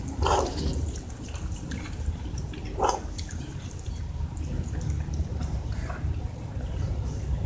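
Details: Cats meowing when they want something such as food or attention: two short, harmonic meows about two and a half seconds apart, the second slightly stronger, over a steady low rumble and faint clicking background noise.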